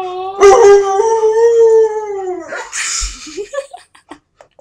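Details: A pet dog howls indoors, wanting to go out while guests are in the yard: a long, steady, tonal howl held about two seconds, then falling and breaking into short rising yips and whines.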